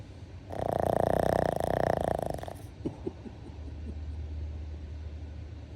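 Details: Pug dreaming in its sleep gives one loud snore of about two seconds, a buzzy, fluttering rasp. Softer snuffles and a low hum follow.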